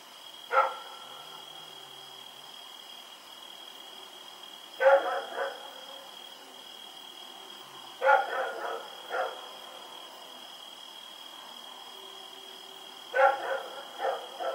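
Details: Rex the dog running around at night, recorded October 7, 2018: short harmonic barks in ones and doubles spaced several seconds apart, over a steady high electrical whine.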